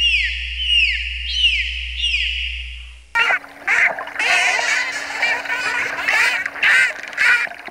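Dolphin whistles sweep downward in repeated arcs, then give way to bursts of buzzy pulsed sound.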